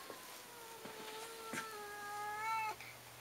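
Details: Domestic cat in a library giving one long drawn-out meow, a steady tone lasting over two seconds that brightens and rises near its end, then stops abruptly.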